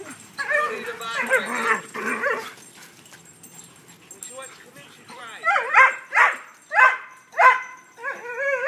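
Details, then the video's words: Greyhounds at play beside a fence with a blue pit bull on the other side, one chasing the other: rapid yelps and whining howls, then five evenly spaced high barks, with a person talking early on. "Greyhound playing"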